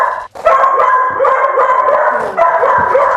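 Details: A dog barks nonstop inside a home full of rescued dogs while its owner shouts for it to stop. Loud, ringing barks run together into a dense, unbroken stretch with only one short pause.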